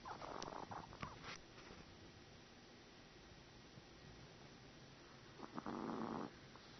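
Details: Sleeping Chihuahua named Cub-Lui gives two rough, breathy snores roughly five seconds apart, each a noisy rasp lasting about a second, with a few small clicks and low room hiss in between.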